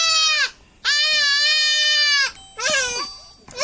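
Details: Young goat undergoing castration gives repeated loud, harsh bleats: a short cry, then a long drawn-out one over a second, then wavering, quavering cries. A person's voice is briefly audible alongside.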